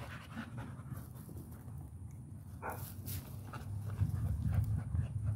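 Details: American Pit Bull Terrier panting: quick, low, breathy breaths repeated several times per second with an uneven rhythm, growing louder near the end, plus a few sharper rustling noises.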